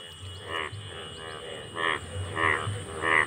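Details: Brightly coloured Indian bullfrogs (sona bang), which appear only once a year, calling in a field: deep, harmonic croaks come in separate bursts roughly every half to one second. A steady low hum runs underneath.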